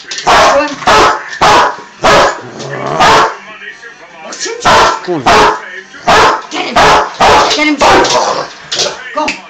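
A Rottweiler barks in loud, deep bursts that come in quick runs with brief pauses between them.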